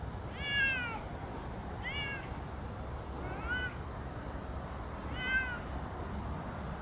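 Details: Siamese cats Otani and Yozora exploring a new meadow off leash, calling back and forth to stay together; four clear, nasal rising-and-falling meows spaced about 1.5 seconds apart against soft outdoor rumble.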